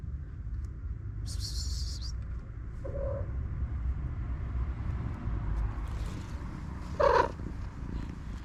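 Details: Purring from a family of little kittens, homeless street cats: a steady low rumble runs throughout, broken by a brief high rustle early on and a short mew near the seventh second.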